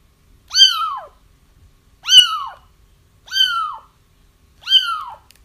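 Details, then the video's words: Feral kittens' crying, played to help trap the mother once her litter is found: four loud, even, downward-curving mews about a second apart, harmonically rich and otherwise quiet. "30 minutes of Kittens Crying"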